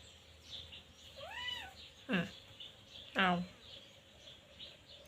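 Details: Young teething Scottish Fold kitten named Luktan utters a brief arched mew, followed by two sharp clicks or knocks, while a woman speaks softly nearby.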